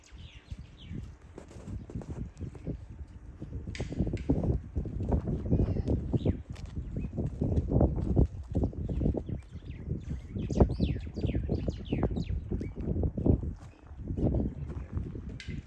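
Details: Wild boar piglets relaxing at a farm: continuous low, soft grunting and snuffling in short repeated pulses, with faint high squeaks and chirps above, possibly birds.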